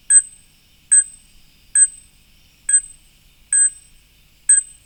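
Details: Fruit bat, a night mammal whose voice is often taken for a bird's, giving six evenly spaced, high, metallic pinging notes almost once a second, each note short and bell-like, with silence between.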